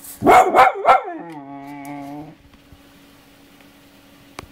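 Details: Pet female dog indoors, talking to its owner; three quick loud barks followed by a drawn-out, level, whining howl lasting about a second, then quiet with a steady background hum.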